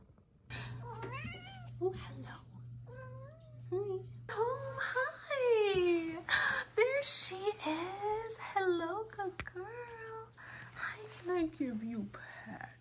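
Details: Female Ragdoll cat meowing repeatedly indoors: a run of arched, whiny meows that rise and fall, several in quick succession, interleaved with a woman's soft affectionate talk and a steady low hum.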